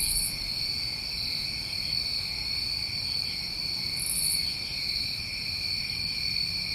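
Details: Chorus of New England crickets in summer at night, a continuous shrill trilling in stacked high tones, a fainter pulsing beat running along the top, and two brief sharper buzzes near the start and after four seconds.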